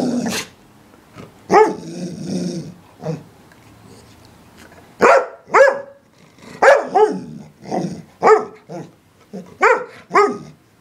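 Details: English Springer Spaniel barking repeatedly in short, punchy bursts, often in pairs, with irregular gaps and some rougher growly barks early on, the barking continuing steadily to the end.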